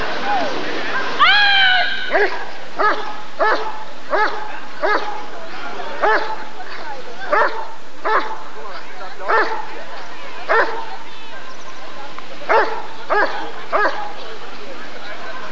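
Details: Rottweiler at the 1994 ADRK Körung breed survey barking repeatedly, in irregular pairs and singles, while people talk in the background; a brief rising whistle-like sound occurs near the start.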